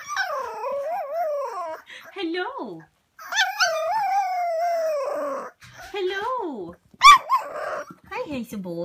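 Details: Boxer puppies at play give wavering howls and whines: drawn-out tonal cries that rise and fall in pitch, in several bursts with short gaps, while a woman talks to them in between.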